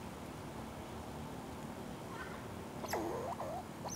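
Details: Squirrel, one of two squabbling over lunch: after a long stretch of steady background hiss, a short burst of wavering, squealing squeaks rises and falls near the end, followed by a brief high scrape.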